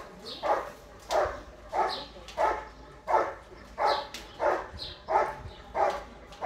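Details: Bandit vom Haus Kogor, a German Shepherd competing in section C of IGP-1 qualifying at the 2022 Russian Championship, barks steadily, about three deep, even barks every two seconds, with faint chirping behind.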